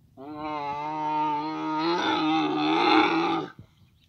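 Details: A single sustained camel bellow lasting over three seconds, steady at first then turning rougher and louder toward the end; mating season in Abu Dhabi.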